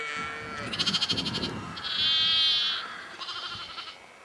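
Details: Yorkshire sheep at Egton, April 2012, giving a quick run of quavering, pulsed bleats, one smoother drawn-out cry in the middle, then another trembling bleat, close and loud.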